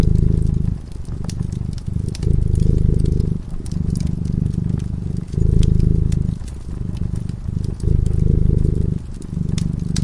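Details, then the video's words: Sleeping by a cozy fireside, a cat keeps up a low, throbbing purr that swells and eases in a breathing rhythm of about two seconds, while the flames snap and crackle in the background. "Purring cat"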